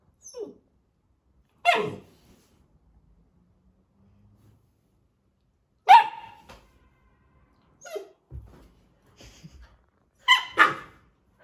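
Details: Labrador puppy telling off a person who disturbed him, giving short, sharp yips and barks spaced several seconds apart, about five in all, with quiet gaps and faint rustling between.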